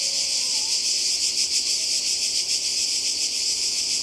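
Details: Croatian seaside cicadas in summer 2020 filling the air with a continuous high electric buzz that pulses softly, while a faint wavering whistle-like sound rises and falls early on.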